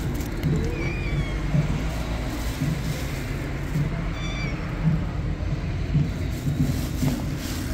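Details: A hungry black cat meowing: a few short, faint rising-and-falling meows, one near the first second and another around four seconds in, heard over a steady low rumble like a nearby engine or traffic.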